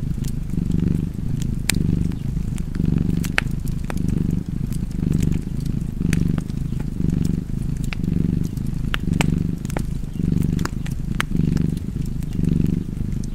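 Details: Rhythmic purring of a cat, a steady low buzz pulsing with its breathing close to once a second, accompanied by frequent fireplace crackles and pops.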